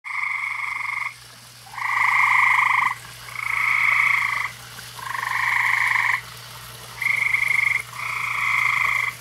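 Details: Frogs around a koi pond on a summer evening give loud, buzzy, pulsed trills about one second long. Six bursts follow one another with short gaps, over a steady low mechanical hum.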